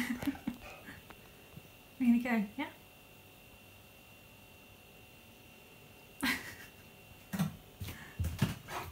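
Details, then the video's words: Key, a stubborn Siberian Husky, refusing to pose for a selfie, gives a brief pair of wavering, moaning vocal bursts lasting under a second each. Quiet room tone follows, then a person talking toward the end. "Stubborn Husky Refuses To Do A Selfie"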